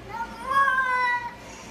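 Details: A cat falling into water gives a single drawn-out meow of about a second, steady and then slightly falling in pitch. A person speaks just before and after.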